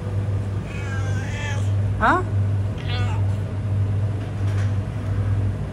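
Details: Homeless cat on a road gives several short meows, one sharply rising and bright, others softer and wavering, over a constant low engine-like hum with traffic noise.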